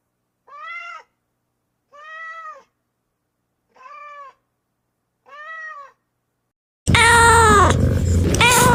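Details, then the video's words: Kitten meows, four short, evenly spaced and fairly low-pitched cries in a quiet room, then an abrupt loud burst of harsh, dense sound near the end. "Kittens meowing - funny cat sounds"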